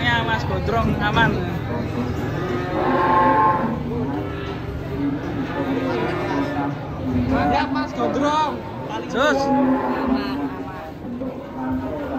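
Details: Raging cattle bellow in dense, overlapping moos: harmonic, wavering calls stacked one after another across the whole stretch, with human voices and crowd noise mixed in.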